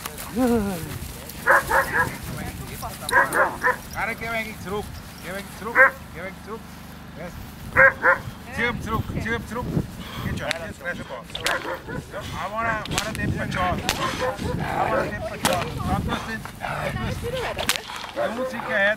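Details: Airedale Terrier at its first protection training session, giving loud harsh barks in irregular bursts, some whining yips between them, with people talking and calling out over the dog throughout.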